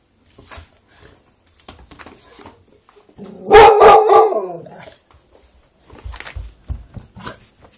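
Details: Beagle scared of a lemon-shaped hand, giving a single drawn-out, harmonic bay lasting about a second and a half in the middle, with soft rustles and small noises before and after.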